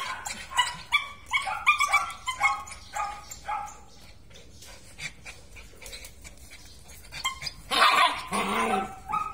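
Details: Belgian Malinois giving a run of high, tonal whining yelps that rise and fall over the first four seconds, then a quieter stretch and a short, harsh burst of barking near the end.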